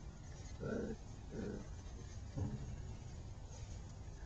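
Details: Fern's six-week-old puppies playing in a dirt pile outdoors give three short, gruff, low barks or growls, spaced under a second apart, over a steady soft background rumble.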